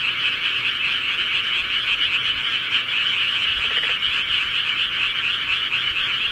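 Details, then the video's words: A dense chorus of frogs in the countryside at night calls together, a steady high trilling wall of sound. "광고없는 편안한 밤을 위한 시골개구리 소리"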